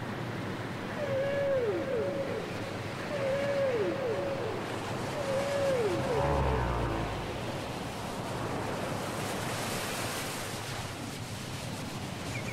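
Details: Whale song from a cassette recording: three hooked, downward-curving tonal units repeated about every two seconds at mid pitch, over steady ocean hiss and surf-like rumble.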